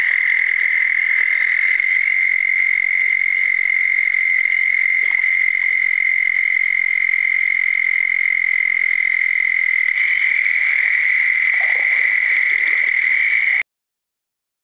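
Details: A southern toad (Bufo terrestris) in South Carolina gives a long, steady, high-pitched musical trill that holds without a break.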